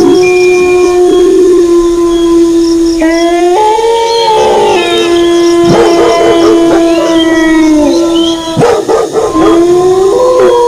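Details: Several wolves howl at once, holding long mournful notes that bend upward and downward and overlap into a chorus, with dog barking said to accompany them; short yips or barks break in briefly toward the end.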